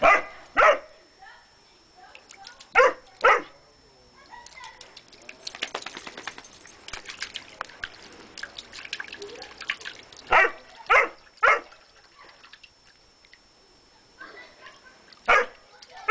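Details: Dog named Graaf Vasquo barking on a hot summer day beside a small pool set up to cool him, though he is afraid of water; short sharp barks come in pairs and clusters, with splashing and dripping water between them.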